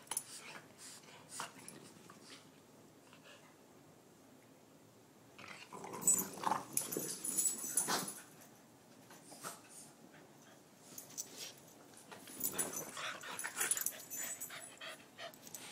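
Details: Two Boston Terrier pups fighting over a chew toy growl and snuffle in play, with bursts of rough, noisy vocal scuffling.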